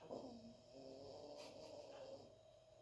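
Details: Sleeping dog snoring loudly: a drawn-out, droning snore with low tonal bands lasting about two seconds, over a steady indoor hum.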